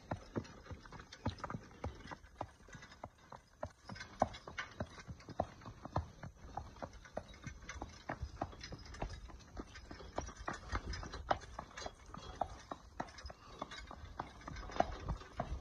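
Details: Horse working during training, its hooves producing a continuous clatter of crisp clip-clop strikes at a brisk, fairly even walking rhythm against a soft, low background hum.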